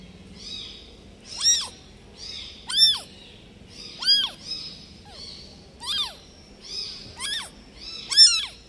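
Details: Newborn domestic kitten abandoned by the mother cat, calling again and again: about seven high, arching meows spaced roughly every second, some louder than others, over a low steady background.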